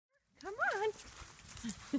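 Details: Six-week-old British Labrador Retriever puppies from two litters born in August 2015. A single clear whine arches up and then down over about half a second, with strong harmonics. Faint low murmurs and a short yelp-like note follow.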